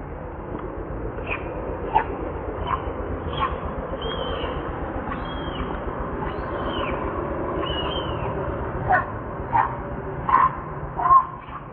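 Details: Baby monkey Leo, newborn and hungry, begs its mother for milk. Rising-then-falling squealed cries come in a run midway, with sharp clicks and knocks toward the end.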